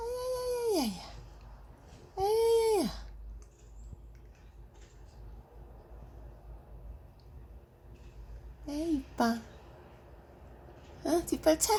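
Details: Pet cat Paldong-i, indoors, gives crying meows after its owner sneezes: two drawn-out calls that slide downward in pitch like a moan, then quieter, shorter wavering cries later on, with a person talking softly.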